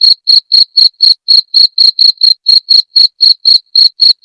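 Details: Cricket sound of the kind used to drive away rats: loud shrill chirps at a steady pitch, about four pulses a second, each a short ringing burst, evenly repeated with nothing else heard.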